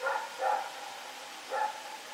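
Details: Night barking of Rex the dog, recorded September 21, 2018: three soft, somewhat distant barks, two close together and one after a short pause, over constant hiss.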